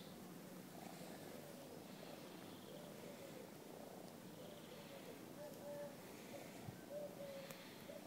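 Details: Kitten playing with a person at an apartment building's parking lot; once territorial, now affectionate. Low steady rumbling purr runs throughout, with faint thin tonal squeaks above it late on.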